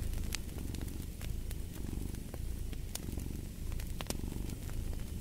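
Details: Domestic cat purring steadily in a low, rumbling drone, paired with a crackling fireplace whose sharp pops and snaps sound throughout.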